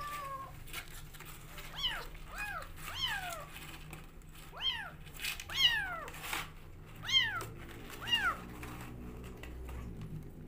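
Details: Rescue kittens fighting over the bottle at feeding time call in a run of about eight sharp, arched meows, each rising then dropping, spaced roughly a second apart, over low indoor hum and faint rustling.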